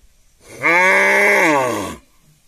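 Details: Cow at a village house, mooing while eating: one loud, sustained low moo lasting about one and a half seconds, steady and harmonic-rich with a slight rise and fall in pitch, over a quiet background.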